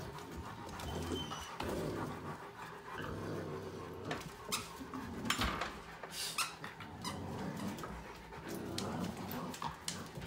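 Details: Pitbull puppy playing with a Chihuahua mix, heard as panting, soft whimpers and short scuffling bursts, with a few sharper, louder yelps spread through the play.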